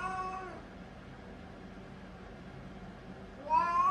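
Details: A 3-year-old Siamese cat, using the toilet while constipated, meows in discomfort: one drawn-out wail fading, then another rising after a quiet pause.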